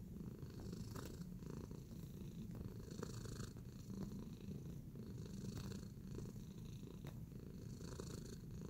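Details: Relaxed house cat kneading contentedly, giving a continuous deep purr with a slightly pulsing texture throughout, quiet overall, with occasional faint taps and rustling noises mixed in.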